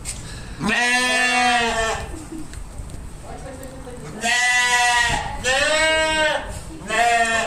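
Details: Sheep bleating repeatedly: a long wavering bleat, a soft distant call, then two loud bleats in quick succession and the start of another, each strongly harmonic and slightly quavering.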